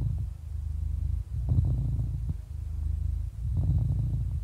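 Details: Deep purring of an 11-year-old happy cat: a steady low buzz broken by short breathy swells about every two seconds and a brief dip in loudness near the start.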